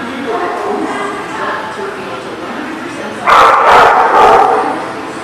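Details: Dog barks recorded 9/10/18: after a few seconds of background voices, a burst of three rapid, loud, rough barks follows in quick succession near the end.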